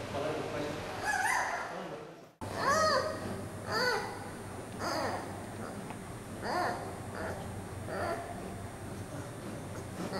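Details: Giant panda cub Yuan Zai, a 39-day-old female weighing over 1700 g, fussing and crying after being returned to her mother Yuan Yuan at a zoo. She gives harmonic squealing cries in short bursts, several spaced a second or two apart, over low room hum.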